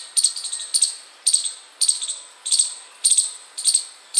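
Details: A chipmunk outside a house chirps constantly, giving sharp, high chirps repeated steadily about twice a second.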